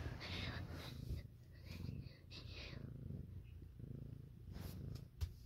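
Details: Pet cat's low, pulsing purr in a home where Siamese and calico cats have had kittens; breathing-paced swells of rumble with brief soft whispers and a small tap near the end.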